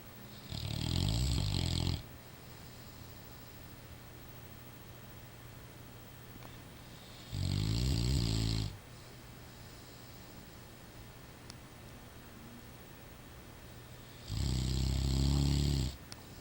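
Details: Sleeping Rottweiler snoring indoors: three long, low rumbling snores, each about two seconds, spaced roughly six seconds apart, with quiet breathing between them.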